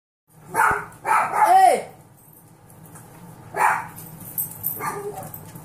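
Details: Six-week-old foster golden retriever puppies playing: a quick cluster of short harmonic yips and a rising-then-falling whine, a pause of about two seconds, then two more brief yelps over a quiet indoor background.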